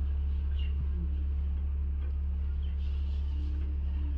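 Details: Steady low mechanical hum with faint background noise and no animal voice.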